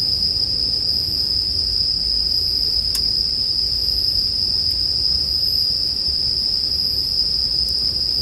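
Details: Bell cricket chirping in a mix made for sleep: one continuous, piercing high trill, with faint rhythmic pulses higher up. Crackling campfire noise fills the low end, with a few sharp pops from the fire.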